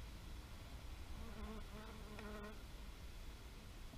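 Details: Bee buzzing outdoors: a steady, low droning hum for just over a second, rich in evenly stacked overtones, rising out of a constant rumbling background of wind or distant noise.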